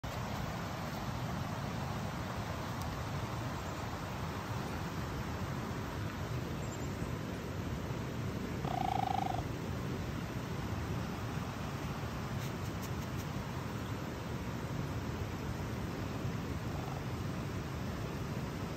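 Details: A 7-month-old male rescued raccoon, the most vocal of his pack, in a rehabilitation enclosure in Canada, gives a low, steady purring rumble broken once by a brief whining call.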